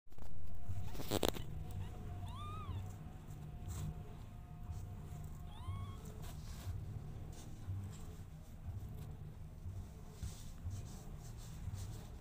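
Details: Mother cat with her kittens, described as jealous of them: a steady low rumbling purr runs throughout, with two or three short, thin rising-and-falling kitten mews near the start and a brief rustle early on.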